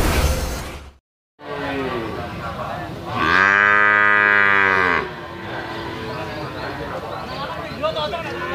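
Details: Limousin cattle calves offered for sale give one harmonic moo lasting almost two seconds midway, held steady before dropping off, with rough broadband noise of the pen before and after and a brief silent gap near the start.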